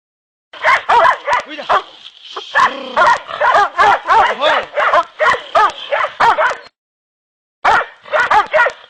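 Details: Two hunting dogs, Kopoy and Barak, being trained for wild boar hunting in Turkey give rapid, excited barks and yelps in quick bursts, about three per second, with a brief pause before barking resumes; a steady whine runs beneath.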